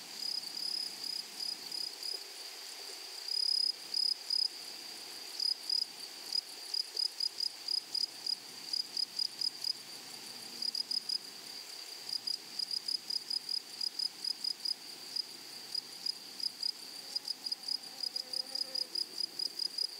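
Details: Wild grasshoppers singing in a flowery prairie meadow: rapid chirping bursts of high, sizzling stridulation, repeated in quick trains over a constant shrill drone, growing busier in the second half.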